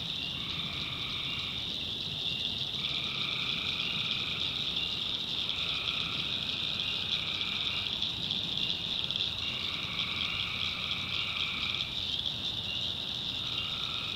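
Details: Swamp at night in the North Carolina backwoods, full of calling tree frogs. Over a continuous shrill trill, distinct lower buzzy bouts of about two seconds start and stop with short gaps between them.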